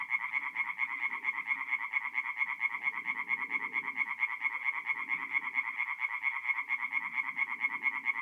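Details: Tree frogs singing by night at a forest pond in North-East Italy in mid-April; a continuous rhythmic train of sharp croaks with overlapping callers and intermittent low background calling.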